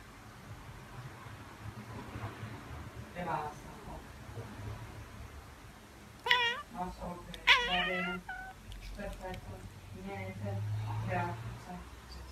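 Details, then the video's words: Tabby cat chattering in a room: clusters of quick, stuttering harmonic chirps around six to eight seconds, fainter chirps before and after, over a low background hum and faint voice-like murmurs. "Tabby Cat Billie's Chattering and Chirping"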